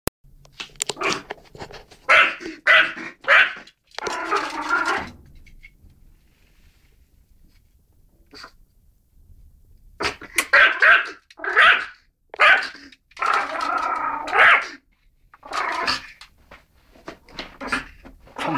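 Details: Excited dog seeing a mouse for the first time, barking loudly in rapid, harsh bursts, then falling quiet for about five seconds before another run of energetic barks and growly yaps.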